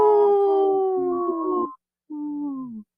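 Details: Wolf howl played back on a radio show and called a strong howl: a long, smooth tonal note with layered overtones sliding slowly downward, then after a brief silence a second, shorter falling howl.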